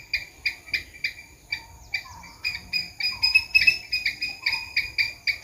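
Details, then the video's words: Squirrel calling in quick, sharp chucks, roughly three per second, swelling slightly louder midway, while low rising whistles drift in the background. "Squirrel sound"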